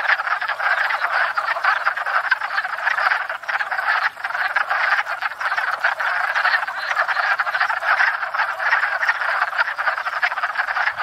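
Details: Numerous wood frogs chorusing at a pond in spring during courtship and breeding, their rough quacking croaks overlapping into an unbroken, rattling din filmed from a stationary tripod.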